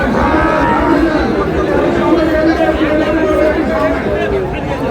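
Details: Sahiwal bull calves at a market in Chattogram, Bangladesh, on 16 February: a drawn-out, low mooing with steady harmonic bands holds for several seconds over a busy crowd of men talking and bargaining.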